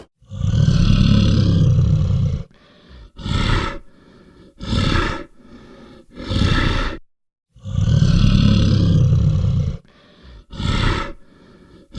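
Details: Brown bear making deep, rumbling grunts: a long low growl followed by several short breathy bursts, the pattern repeating twice with brief pauses between.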